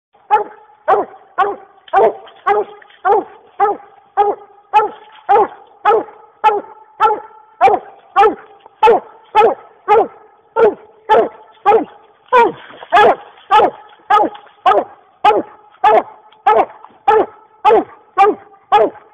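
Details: Dog that has treed a raccoon, barking steadily and loudly, nearly two barks a second, each bark a short harsh burst repeated in an even, unbroken rhythm throughout.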